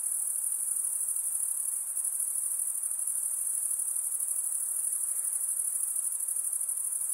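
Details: Night insects in a steady, unbroken high-pitched shrill drone with a fine rapid pulsing texture and even loudness throughout; a soft lower hiss underneath, and no other animals or voices.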